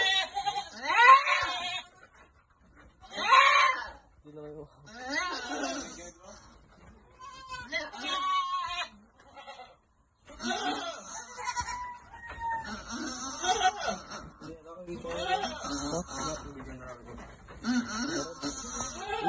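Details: Goats being given vitamins at a goat farm, giving repeated shaky, nasal bleats at irregular intervals across the recording, overlapping with steady human conversation.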